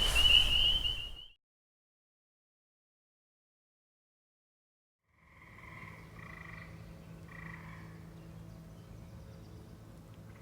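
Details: Wisconsin native frogs: a high frog trill opens, then after a silence fainter, nasal frog calls sound in short bursts.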